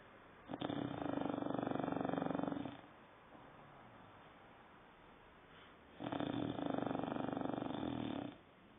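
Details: Nine-month-old dog named Saddam snoring indoors: two long rasping breaths, each lasting about two seconds with a rapid fluttering buzz, separated by a quiet pause of roughly three seconds.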